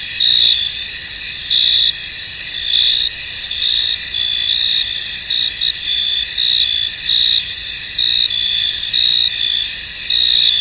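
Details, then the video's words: In a mist-covered field, a cricket chorus keeps up a bright, high, unbroken ringing, with sharper chirp bursts rising out of it at uneven intervals. "Tranquil Cricket Sounds In An Misty Field"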